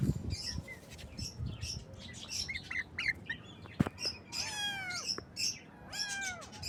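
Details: Baby kittens meowing in the morning: two rising-then-falling harmonic meows near the end, among busy high chirps and squawks from birds and clicking, knocking noises throughout.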